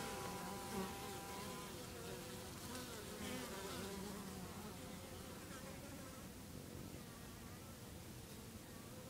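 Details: Early-morning bees, about 8am, buzzing in a low wavering hum whose pitch shifts as individuals fly past, clearest in the first few seconds before blending into a softer background murmur.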